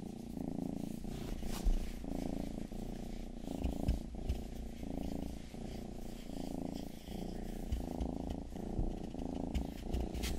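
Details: Low, rhythmic purring from pet cat Rangi, youngest of the household, swelling with each breath about every second, with faint licking and rustling during an ASMR ear-grooming session.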